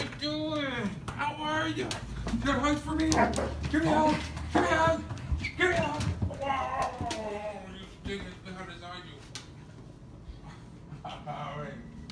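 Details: Basset hound Dean greets his owner coming home, indoors in a small room; drawn-out, wavering howl-whines rising and falling in pitch, several in quick succession over the first eight seconds, mixed with people's voices, then quieter.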